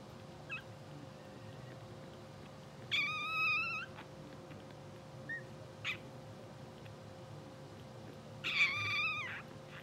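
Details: Two-hour-old English Bulldog puppies of a blue sable litter, twitching and dreaming while asleep on a live puppy cam. Two short, wavering, harmonic squeals about five seconds apart, with faint clicks between them over a steady low hum.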